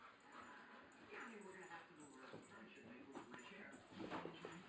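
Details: A hyper Rottweiler at night gives short, high whimpers and yips, with a person's voice murmuring alongside.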